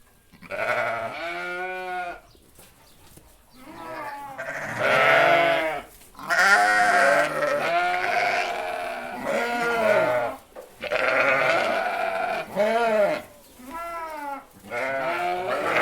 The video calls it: Group of Sheep - Free Sound Effects [No Copyright]